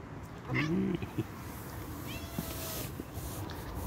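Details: Tortoiseshell cat running around playing; one short, low harmonic meow early on, then faint high chirps over steady background rumble.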